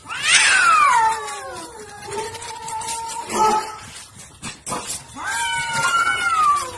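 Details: Cats fighting as a dog referees. A loud opening screech sweeps sharply down into a long, low, level yowl. Short harsh bursts follow, then a second rising and falling wail at the end.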